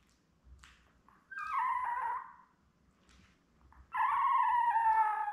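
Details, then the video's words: Newborn Labrador Retriever puppies, litter of seven born May 24, 2021, with their mother Belle; two long high whines with layered harmonics, the second steadier and sustained, over a soft low rumble. "Lab Puppies LIVE STREAM Puppy Cam"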